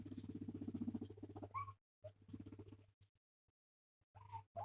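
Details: A male guinea pig purrs with a low, rapid, pulsing rumble while being stroked and petted, a sign of contentment.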